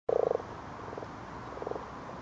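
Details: Common frogs spawning in a garden pond, seen by torchlight: a low, purring croak of rapid pulses opens, followed by fainter pulsed croaks over background hiss.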